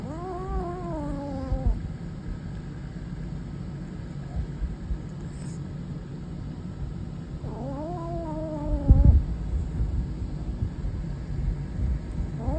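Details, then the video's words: Savannah kitten growling: a long wavering tonal moan at the start and another rising, drawn-out one midway, with quiet low background hum and a brief thump between them. "Savannah Kitten Growling"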